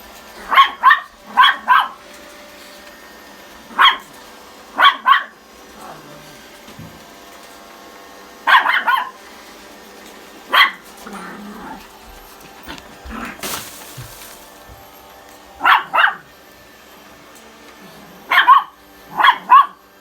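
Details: During a chasing game around a vacuum cleaner, a Pomeranian and Chihuahua give quick, high-pitched yapping barks, mostly in pairs, every few seconds. There is a brief hissing noise in the middle.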